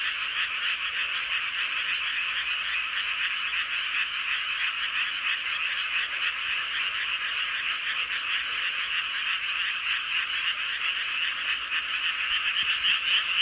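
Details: Full-moon frog chorus recorded in Seowon-myeon, Hoengseong County, Gangwon Province: loud, high rattling croaks pulse rapidly, roughly three or four per second, over a thick background of overlapping callers, growing slightly louder at the end.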